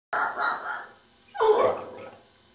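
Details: A whippet 'talking' to ask for breakfast gives two drawn-out, moaning yowls. The first is steadier and mid-pitched. After a short pause, the second is louder and rougher with a dipping, grumbling tone, then fades into quiet.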